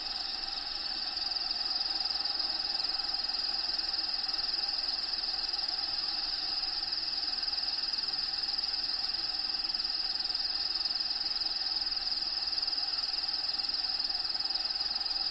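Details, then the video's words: Cricket chirping from inside a bearded dragon's vivarium, natural habitat recording in the background: one continuous shrill high-pitched trill holds steady for the full fifteen seconds over faint hiss. "RELAXING SOUNDS CRICKETS LOCUSTS"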